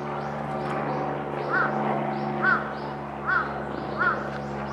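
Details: Meerkats wary of a passing helicopter give short arched chirps, repeated about once a second, over the steady low droning hum of the helicopter.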